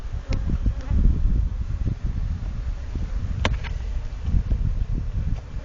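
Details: Agitated African honey bees living off blue gum trees give a low, steady roar during daytime hive work on a farm, fanning the honey to keep it cool and fanning out smoke after being smoked.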